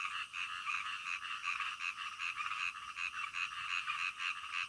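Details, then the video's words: Frogs calling in the middle of the night, a relaxing nocturnal nature sound: a dense chorus of overlapping croaks in two bright bands, pulsing unevenly with no clear gaps. "SUARA KODOK DITENGAH MALAM"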